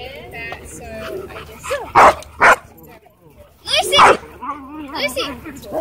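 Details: Miniature Pinscher warning off someone who is harassing it: two sharp, loud, harsh barks half a second apart, then a longer snarling burst two seconds later, with people talking and whimper-like tones throughout.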